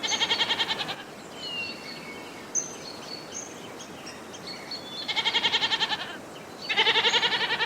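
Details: Goat giving three tremulous, wavering bleats, one at the start and two near the end, each about a second long with a rapid pulsing quiver, while thin whistled bird notes fill the gaps against steady outdoor background noise.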